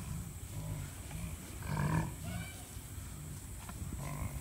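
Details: American bison giving a single deep, drawn-out low bellow that swells and fades, with people talking softly over it and a steady outdoor background rumble.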